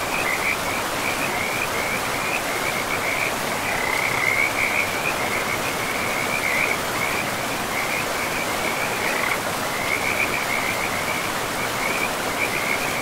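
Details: By a river deep in a moss-covered forest, frogs trill in a rapid high pulsed stream, almost continuous with occasional brief breaks, against a dense hiss of running water.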